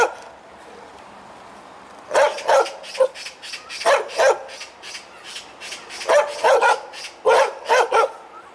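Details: Dog barking loudly as it wags its tail: two quiet seconds, then strong barks in quick doublets and triplets separated by brief gaps.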